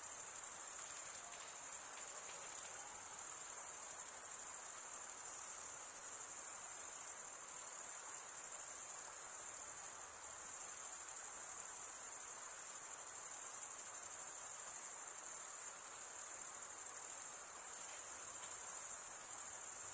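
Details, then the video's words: Male crickets stridulating, one wing rubbed over the comb-like teeth of the other, giving a continuous high, ringing trill at a fixed pitch that barely varies in level, with soft hiss underneath. "Most relaxing cricket sound for 8 hours"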